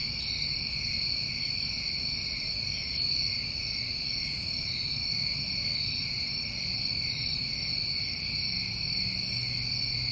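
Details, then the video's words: Summertime crickets in New England keep up an even, ringing trill in stacked high bands without a break; short airy bursts come in now and then, over low background murmur. "Tinnitus Masking With Crickets"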